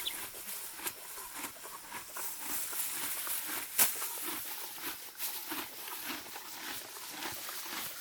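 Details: Morgan mare cropping deep spring grass outdoors, giving a continuous rustling crunch of chewing and pulling, with one loud sharp tear midway and soft outdoor ambience.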